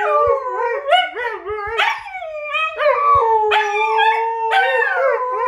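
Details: A husky (Canis lupus familiaris) and a wolf call back and forth, trading long, wavering howls that bend up and down in pitch and overlap.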